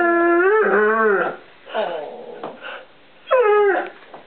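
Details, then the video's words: One-year-old English Setter puppy in a home kitchen, vocalising for treats: drawn-out, harmonic whining howls, rising then falling, in three bursts with pauses between. "English Setter puppy sings for his supper"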